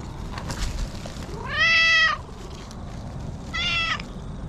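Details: Stray orange tabby cat that came out when someone visited its territory. It gives two clear, tonal meows: the first is longer, rising then falling, and the second is shorter and steadier. There is a faint outdoor hum behind them.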